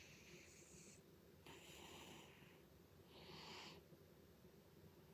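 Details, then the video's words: Butters, a pet cat, snoring loudly: three breathy, hissing bursts of noise, each lasting about a second and separated by short pauses, over a steady low room hum. "Cat Snores Loudly"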